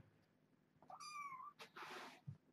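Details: A kitten in a foster litter with its mother, indoors during a morning box check, gives a single clear rising-then-level tonal meow lasting about half a second, followed by rustling and handling noises.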